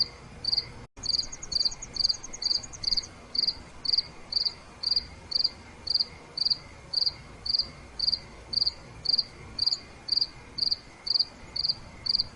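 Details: At night a cricket gives evenly spaced, pulsed chirps about twice per second; a higher rapid trill from another insect runs over the first few seconds, after a brief dropout near the start.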